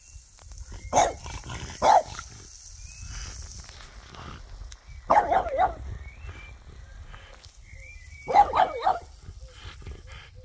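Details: French Bulldog barking outdoors while arguing with a water sprinkler; short bursts of two or three sharp barks arrive near the start, middle and end, separated by quieter stretches of hissing water and faint background sound.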